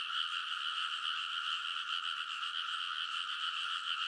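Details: Midnight in early summer beside a rice field in Konosu, Saitama, Japan: a large frog chorus recorded on a TASCAM Portacapture X8, many voices merging into a continuous, buzzing, high-pitched croaking din.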